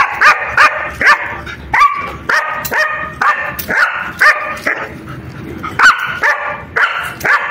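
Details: German Shepherd in attack footage, giving a run of loud, sharp barks in quick succession, roughly two per second, each with a bright harmonic ring, with short quiet gaps and little other sound between them.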